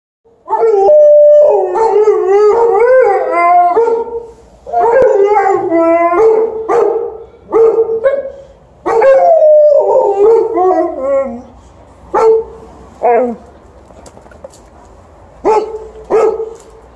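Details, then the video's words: An Alaskan Malamute, with a Golden Retriever also present, howls and yodels in wavering, rising-and-falling tones mixed with sharp barks; the dogs are eager to go for a walk. "Alaskan Malamute and Golden Retriever are barking & howling for a walk"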